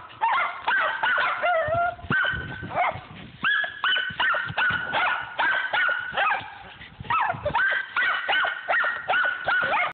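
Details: Squirrel dog Rock, hot on a squirrel at Millen, barks almost without pause: quick, clear, ringing barks two to three a second, some stretched into falling, mournful bawls, loud and close throughout.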